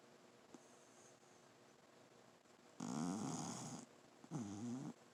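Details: A sleeping female dog named Journey snores indoors, with two loud rasping breaths, the first about a second long and the second shorter, each carrying a low wavering rumble over a faint room hiss.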